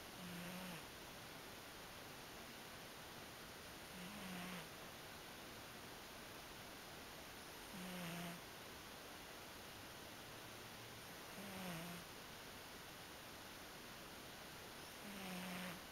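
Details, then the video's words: Sleeping pet cat snoring softly indoors: five faint, low breathy snores with a short tonal rumble, spaced about every three and a half seconds, barely above a steady background hiss. "Snoring Kitty!"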